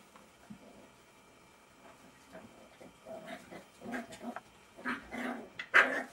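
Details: Jack Russell Terrier puppies of Silvi's litter playing together, with scattered low grumbling growls and whines that grow into louder yapping bursts and a sharp yelp at the close.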